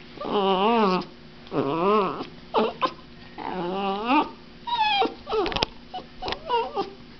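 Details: A puppy gives wavering, sing-song whines that rise and fall in pitch as her owner shakes her.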